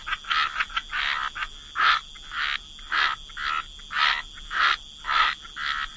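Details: Croaking frogs at a waterside, a chorus of rasping croaks pulsing roughly twice a second, some louder calls standing out, over a faint constant high hum.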